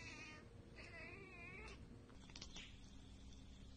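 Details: Domestic cat chattering at a bird or insect it cannot reach, a burst of rapid wavering chirps with a fine rippling pitch, then short clicky sounds over a steady low indoor hum.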